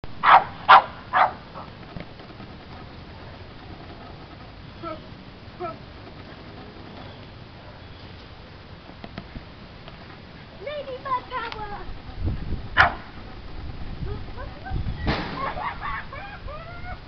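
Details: A Boston Terrier, a high-jumping dog going wild over popping bubbles, gives three sharp barks, then a run of high, wavering whines and yips.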